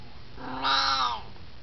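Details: An 18-year-old Siamese cat, hanging out and chatting, lets out a single loud, long, raspy, harmonic-rich meow that swells to a strong nasal middle and fades.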